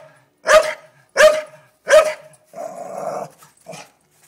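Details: Staffordshire Bull Terrier reacting to a blue-tongued lizard it has found: three loud, evenly spaced barks, then a drawn-out low growl and one softer final bark.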